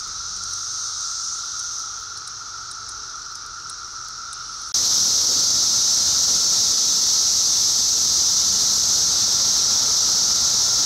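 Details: Periodical cicadas in a noisy brood emergence, hundreds lining tree trunks and branches to feed and find mates; a steady high buzzing drone with a band near the top and a lower tone, growing sharply louder partway through.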